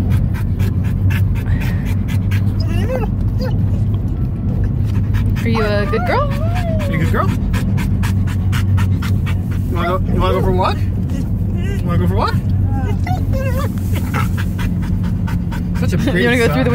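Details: Pet dog yodeling inside a moving car: wavering, warbling howls that slide up and down in pitch come in short bursts, set over a steady low engine and road rumble.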